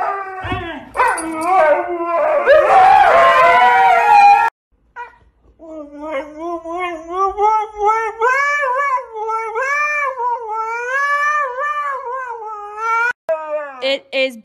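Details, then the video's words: Siberian Husky 'talking' at bedtime around 10 o'clock at night, an initial burst of overlapping whines and howls, a short pause, then a long wavering, warbling howl that bends up and down; a person coaxes it and music plays. "Hilarious Talking Huskies Compilation | husky talking"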